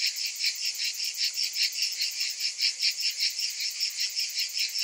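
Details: In summer, cicadas pulse in a regular, throbbing rhythm, about two and a half beats a second, each beat a bright metallic buzz above a continuous high-pitched drone.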